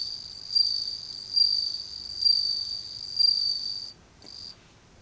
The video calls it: The voice of Japanese bell cricket